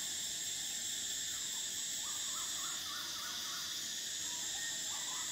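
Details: Summer cicada chorus: a continuous piercing high whine drones throughout, with quiet clusters of short chirping notes from another creature underneath.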